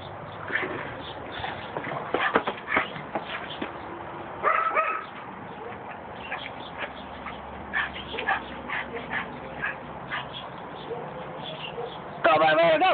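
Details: Pug named Bark Vader, recorded on an Android phone, giving a run of short sharp yips and barks, with a brief high whine midway and a louder whimpering burst at the end; people talk and laugh around it.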